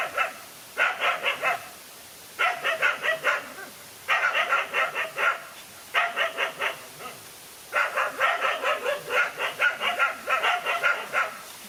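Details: Lone dog fighting two male dogs, with bursts of fast, sharp barking, five or six barks a burst, repeated every second or two over the whole stretch.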